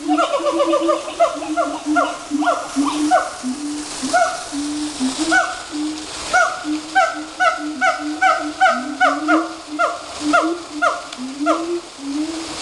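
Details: Several monkeys at Woodland Park Zoo sing together in brief, upward-swooping hooting notes whose overlapping, repeated phrases build into a busy, rhythmic chorus.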